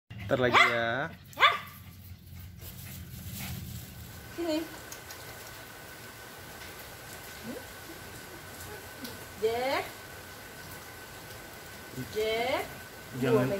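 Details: Jack, a neighbor's energetic, playful and friendly corgi, gives a few short, sharply bending yelps spaced several seconds apart over a steady background hum and soft music.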